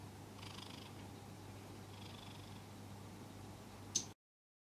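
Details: Domestic cat purring while held in arms after being made to wear a scarf: a low, steady continuous rumble with faint rustling and a brief click near the end.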